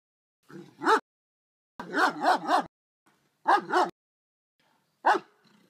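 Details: German Shepherd dog in the yard barking at a raccoon that ignored it, in daylight: harsh, strong barks in irregular bursts. One bark, then a quick run of three, a pair, and a final single bark.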